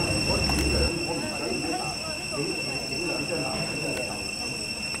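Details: Cicadas in Cambodia hold a steady, high, ringing drone, with voices murmuring underneath.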